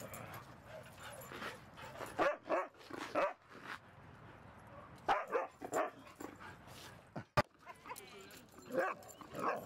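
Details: At Seal Point Dog Park, the dogs Rosy and Rocky play rough, Rosy going for Rocky's tail; clusters of loud, clipped barks and yips come in uneven bursts, with one sharp click-like knock near the end.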